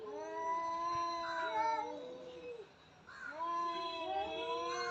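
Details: Cat in a fight producing two long, wavering yowls separated by a brief quiet gap, each with a steady tone that sags and rises again.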